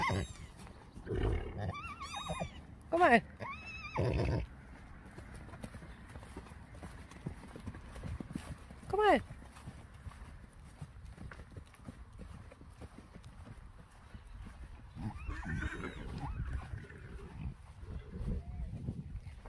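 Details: Friesian horses from a herd, at a moment when a mare's foal is being searched for: several harmonic whinnies, one near the start and one about nine seconds in, with hoof clip-clop and Dutch speech from people nearby.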